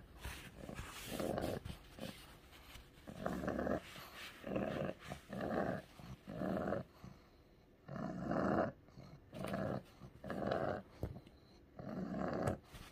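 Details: Pug named Ku-chan, a sick dog having a strong epileptic seizure, indoors: harsh, noisy growling groans in short bursts about once a second, with brief gaps of heavy breathing between them.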